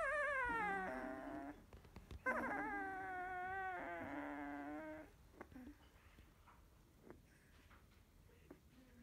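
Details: Sixteen-day-old field-type Labrador Retriever puppy after nursing; two drawn-out, whining whimpers with bent pitch in the first five seconds, then near quiet with faint rustling and a brief murmured voice.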